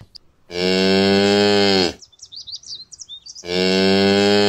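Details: Cow mooing twice, each moo a long, loud, steady low bellow of about one and a half seconds, with a chirping, twittering pause between the two calls.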